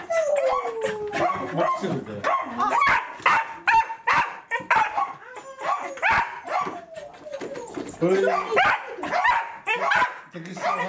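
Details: Roku, a Welsh corgi, greets its breeder in great excitement: rapid high whines and yelps, some sliding downward, tumble over one another in quick bursts, with people talking throughout.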